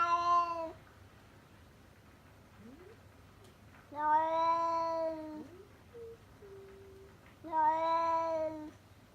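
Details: Tabby stray outside the house giving three loud steady meows about every four seconds, with faint short chirping notes from the cat in the quiet gaps.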